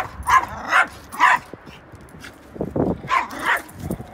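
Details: A dog on a back porch barks at a wild red-tailed hawk, scaring it away: sharp, mid-pitched barks, about seven in four seconds, in irregular bursts with short yips between.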